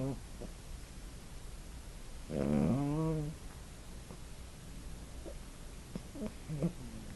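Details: Sleeping puppy snoring, recorded on a phone indoors; one loud, tonal, rising, harmonic snort lasting about a second, followed by a few faint short squeaks and breaths.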